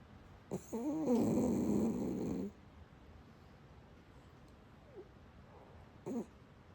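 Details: Shiba Inu 海苔寶 asleep, snoring: one long, buzzy, wavering snore of about two seconds with a rising-and-falling tone, then near silence and a short faint snort at the end.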